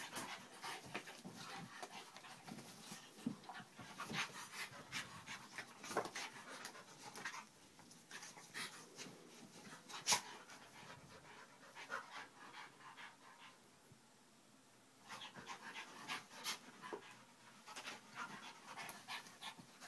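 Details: Dogs at home, one called Vinnie, in a rough play fight, giving repeated harsh panting and huffing bursts with scuffles, a loud thump near the middle, a quieter pause, then more panting.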